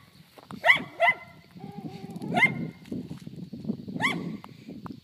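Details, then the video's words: A dog barks at cows. Four clear, bright barks come unevenly, two close together near the start and two spaced later, over a low murmuring background. "Dog barking at cows funny"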